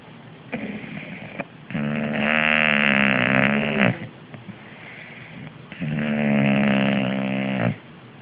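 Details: English Bulldog Fat Louis snoring on the sofa: two long, loud, buzzy snores, each about two seconds, separated by quieter breathing, with a softer rasping breath at the start.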